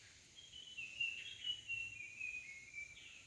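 A cicada gives a steady, high, hissing buzz that holds without a break.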